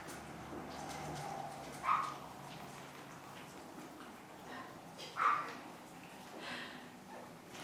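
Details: Chihuahua puppies in the puppy house on April 14, 2012: two brief, thin, squeaky whimpers about three seconds apart, faint against a low indoor hiss.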